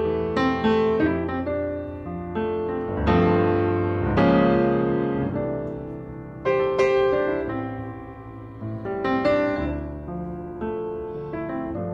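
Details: Gentle solo piano music plays throughout, with flowing chords and melody and no animal voice present.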